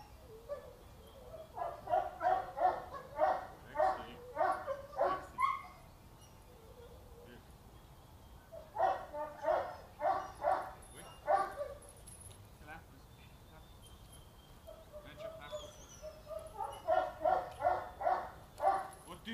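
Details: Boxer, a 2.5-year-old female in training and socialisation, described as unruly and reacting vehemently to everything around her; three bursts of rapid, harmonic barks, each a run of five to eight barks, separated by quiet pauses.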